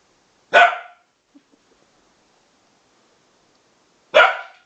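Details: Two young Bedlington Terriers, Freddie aged 7 months and Lottie aged 10 months, playing together: two short sharp barks about three and a half seconds apart, with quiet scuffling between.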